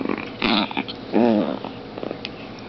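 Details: Playing indoors, Zombie, a tiny 2.7 lb long-haired Chihuahua bitch, gives two wavering harmonic growls, a softer one near half a second and a louder, rising-then-falling snarl after a second, with faint rustling between them.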